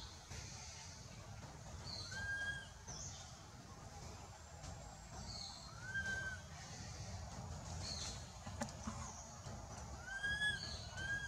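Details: Baby monkey Anissa, frightened while monkey Aron will not let her go, calling for her mother: thin arched whistled cries around 2, 6 and 10 seconds, each with higher overtones, over a steady low rumble.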